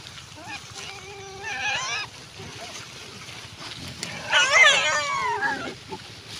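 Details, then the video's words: Wild pigs giving high, harmonic squeals: a rising, wavering squeal near two seconds, then a louder, harsher burst of overlapping shrill squeals around four and a half seconds, with faint background noise between. "wild pigs"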